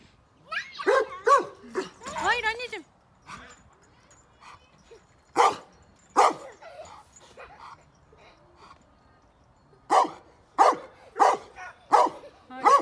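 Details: Pet dog on a family farm barking in short, sharp bursts: a quick pair, a few scattered single barks, then a run of five barks about half a second apart, with a child's excited voice at first.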